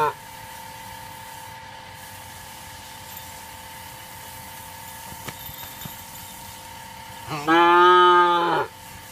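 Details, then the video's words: Female Punganur calf skipping its bath and running; after a long steady hum a single loud harmonic-rich moo lasting about a second rises near the end, then stops. "punganur female calf skipping bath and running"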